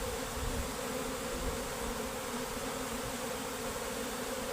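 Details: Honey bees leaving their beehive as a colony, workers and queen departing; the massed buzzing forms a thick, steady drone without pauses, and a few soft low bumps sit underneath.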